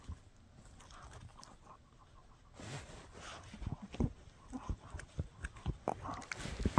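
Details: Shih Tzu named Mikki chewing a no-hide bully stick: near-quiet at first, then from about the third second irregular crunchy, wet gnawing bites and snaps that grow louder toward the end.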